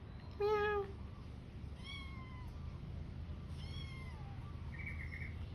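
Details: Domestic cat cleaning its fur gives three meows: a loud, short, low opening cry, then two longer, higher, gently falling meows spaced about one and a half seconds apart, with a brief faint chirp at the end over a steady low hum.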